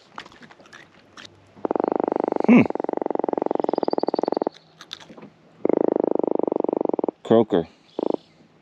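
An Atlantic croaker gives long, rapid drumming croaks, a buzzy pulsed rattle, with a man talking.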